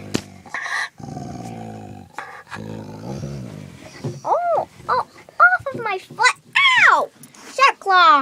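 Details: A pet dog out camping growls low and rough at the start, guarding his toy; the rumbling fades as a woman's voice breaks in loudly with rising and falling exclamations.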